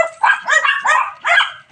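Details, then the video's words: Pet cats at feeding time, several kept together, giving a quick run of five short, bright, harmonic meows about a third of a second apart, each arching up then down, with no other sounds between calls. "MEOW MEOW, MGA ALAGA KO NA PUSA"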